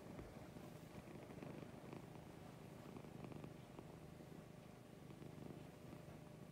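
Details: Morning purring from Lucy, a pet cat: a continuous low, throbbing rumble that holds steady across the whole stretch, set against constant hiss and occasional faint ticks.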